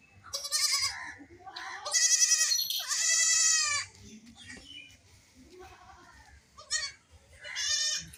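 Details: Baby goats playing and jumping, bleating repeatedly in high, wavering cries with strong harmonics, several bleats in quick succession, some overlapping, over a low background hum.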